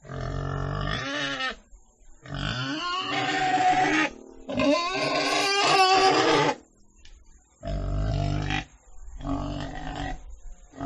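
A pig calls in loud, rasping bursts, each lasting a second or two with short pauses between. The sounds swing between deep grunts and wavering, high squeals.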